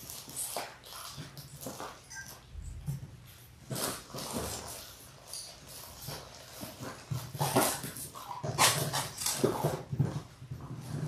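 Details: Labrador Retriever puppies, six weeks old, from a litter of six born January 18, 2022, indoors; frequent overlapping whimpers and high yelps, roughly once a second, louder toward the end, over a low background hum.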